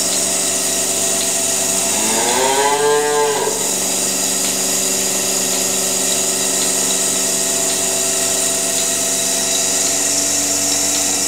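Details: Cow in a dim barn on a farm, waiting for milking; a single drawn-out moo, rising then falling, lasting about a second and a half, over a constant loud machine hum throughout.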